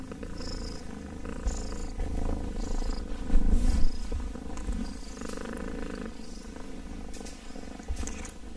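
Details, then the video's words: A kitten purring close up: a deep, pulsing rumble with rapid regular beats, swelling louder near the middle, with light rustles and small clicks over it. "KITTEN ASMR purring!"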